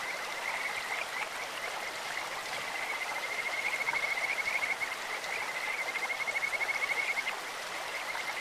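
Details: Stream-dwelling Kajika frogs produce a beautiful bird-like voice: a high, level trill that quickens into rhythmic pulsed runs mid-clip, over an unbroken wash of flowing water.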